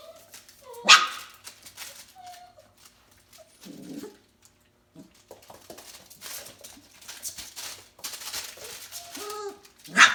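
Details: Four-week-old F1B Bernedoodle puppies at play, giving scattered high whimpers and short yips with a few sharp bursts, several pups overlapping amid quiet scuffling.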